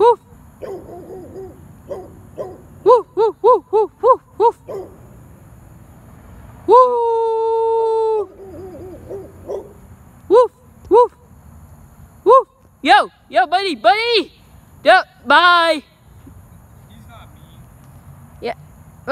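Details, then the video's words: Dog barking in a quiet room: short arched yelping barks in quick bursts, a steady held whine near the middle, then louder spaced barks; Dutch human speech is faintly heard between them. "Dog barking"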